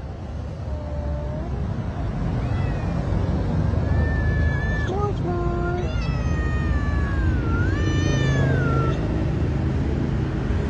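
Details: Many hungry stray cats are fed on a street at night, giving a run of loud, drawn-out meows, some rising then dipping, over constant low traffic noise.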